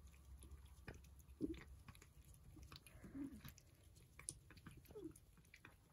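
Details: Persian cats enjoying breakfast: scattered crisp crunches and chewing clicks with pauses between bites, plus a few short low murmuring sounds among the munching.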